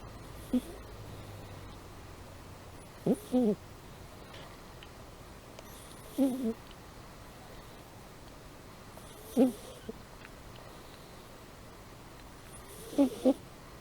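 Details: Amy, a pet cat, asleep and snoring: short, low, breathy snores in pairs or singles, repeating roughly every three seconds against a quiet indoor hush.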